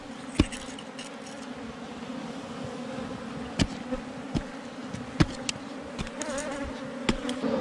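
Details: Wild honey bees at a honey-laden hive under rocks in the forest, during a hive-catching outing. A steady low droning hum with a higher overtone runs throughout, broken by sharp knocks and clicks at about 0.4, 3.6, 5.2 and 7 seconds.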